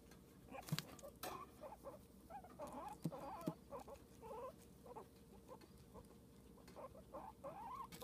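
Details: Pet guinea pig making scattered short, warbling squeaks with a few sharp clicks and taps in between, the squeaks coming in small bursts, one rising at the end, over steady low background noise.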